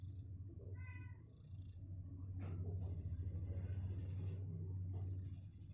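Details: Two-week-old kittens on day 16, legs getting stronger and unwilling to stay in their box: one short, harmonic mew near the start over a steady low rumble, followed by rustling and scratching.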